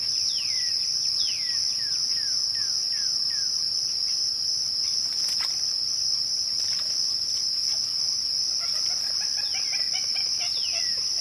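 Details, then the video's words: At twilight, a dense cricket trill runs steady and shrill throughout. A run of falling whistled notes comes at the beginning, a sharp click sounds near the middle, and busier jumbled chirps rise toward the end. "twilight crickets"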